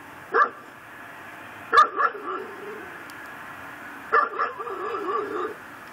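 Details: Pit bull tied to a post in a yard in Chalmette, Louisiana, said to bark day and night, recorded around midnight on December 24, 2012: sharp single barks at uneven gaps, each followed by a wavering, whiny tone, over steady background hum.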